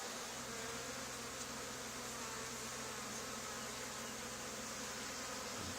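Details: A honey bee swarm on an old barn wall during removal, bees flying around and landing, two days after a nearby hive cutout. Constant thick buzzing with a steady low tonal hum lasting the whole stretch, a brief thump at the end.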